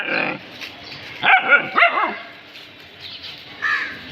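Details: Pet dogs reacting to something they have found: one short bark at the start, then three quick, tonal, yelping barks in the middle and a last softer bark near the end, over a quiet indoor background.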